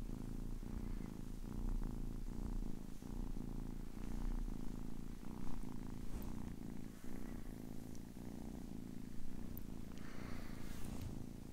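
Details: Low, even purr of a 10-week-old kitten, rhythmic rumbling pulses close to one per second, with a brief brighter rustle near the end.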